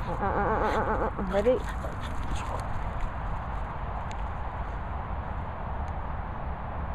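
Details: Boston Terriers Olly and Syd larking about in play; a wavering, harmonic whining grumble fills the first second and a half, ending in a short rising yip, followed by steady low rumbling background noise and faint clicks.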